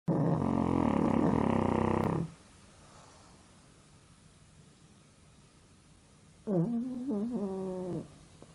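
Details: Pug napping and struggling to breathe, giving a loud rasping snore for about two seconds, then a quiet pause before a shorter, wavering nasal snort-snore begins.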